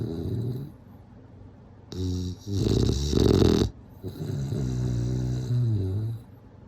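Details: A bulldog sleeps and snores loudly, with a deep vibrating rumble, one harsher, growl-like rattling breath in the middle, then a long drawn-out wheezy snore, indoors.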